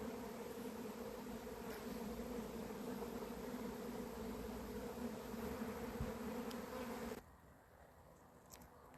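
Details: Swarming honey bees from a beekeeper's hives on 28 April 2026, after the colony went wild: a thick continuous droning buzz for about seven seconds, then it cuts off abruptly to near quiet with a few faint clicks.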